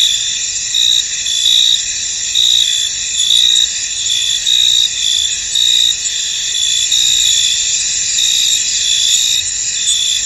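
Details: Cricket chorus in a fog-covered field, a continuous shrill buzzing layered with rhythmic bursts of chirps repeating roughly every second across the whole stretch.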